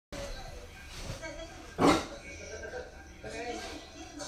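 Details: A Newfoundland-Basset Hound mix dog watching YouTube gives a single deep, loud bark over a background of talking.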